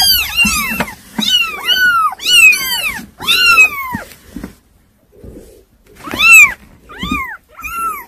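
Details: Kittens that are hard to keep under control cry in a rapid series of loud, bending meows, about one per second, pausing briefly before three more sharp cries, indoors with little other noise.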